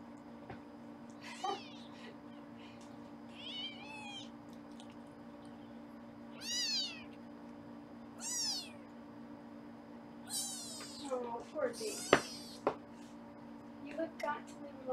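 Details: Indoor kitten cam in Los Angeles captures foster kittens during weighing: a string of shrill, bending meows, some short and clipped, others drawn out, coming in irregular bursts over a constant electrical hum.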